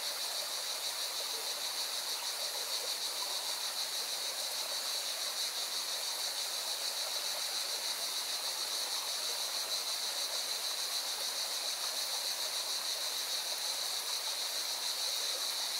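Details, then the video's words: Cicadas singing by a mountain river near Valencia, Spain, keep up a shrill, unbroken drone with a fast throb, while the river's roar fills the background throughout. "Певчие цикады и шум горной реки"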